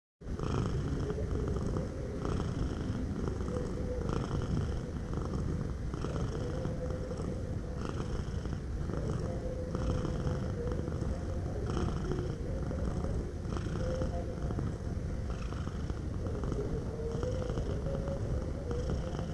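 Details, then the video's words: Cat purring steadily, a continuous low rumble that swells and eases roughly every one and a half seconds with each breath in and out, close and even throughout with no other sounds. "Suara Kucing Mendengkur"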